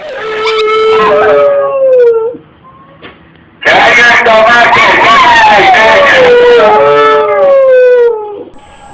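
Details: Dogs howling loudly: long wavering wails that slide downward in pitch, a first howl, a brief pause, then a longer one with overlapping voices.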